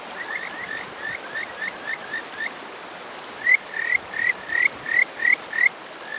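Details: Male Kajika frog calling from a streamside rock in rural Hofu, Yamaguchi, Japan, in May; softer repeated rising notes build into about eight loud, clear upslurred whistles spaced roughly a third of a second apart, stream murmuring behind.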